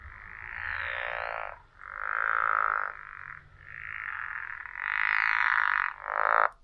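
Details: Speaker playback of a pickerel frog, whose low call sounds like someone rubbing the teeth of a saw; five grating, snore-like calls of uneven length follow one another with brief pauses.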